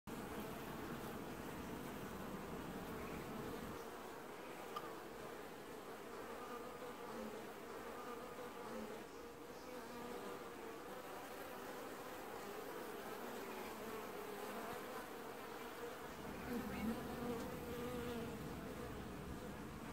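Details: Honey bees of a single colony washboarding at the hive in an apiary in early July 2019, giving a steady dense droning hum with a banded tone around the middle register, swelling slightly near the end.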